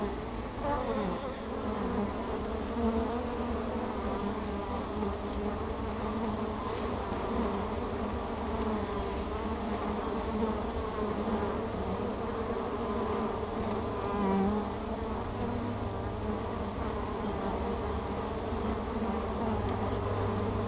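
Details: Honeybees at a hive entrance, foragers coming in with pollen on their back legs, recorded with a camera fixed to the entrance: a steady dense buzz of many wings, low droning hum throughout with small swells.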